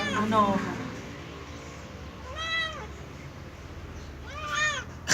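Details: Cat meowing during its first bath: a brief burst of voices at the start, then two drawn-out, arching meows about two seconds apart, each rising and falling in pitch.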